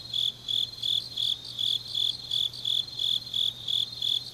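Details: Grass insects on a deep autumn night in Changnyeong, South Gyeongsang, Korea: high, bright chirps pulse about three times a second in a steady, even rhythm, with a soft continuous hum underneath.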